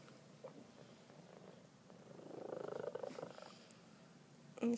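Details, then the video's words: Happy male Maine Coon cat giving a loud purr indoors, a brief pulsing rumble swelling in the middle of the recording amid a person's speech and soft room noise, ending with a sharp click. "Male Maine Coon Cat"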